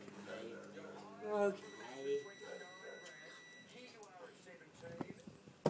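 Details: Alaskan Malamute Aurora, a three-year-old female, crying while waiting for her dinner indoors; two short wavering whines rising and falling, followed by quieter murmurs and a sharp click at the end.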